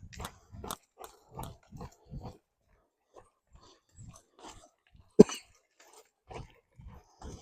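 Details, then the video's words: Sneezing dog Delta Dawn indoors: soft repeated nasal snorts and grunts, then one sudden loud explosive sneeze about two-thirds through, followed by quieter snuffles. "Drew Helps Delta Dawn Stop Sneezing"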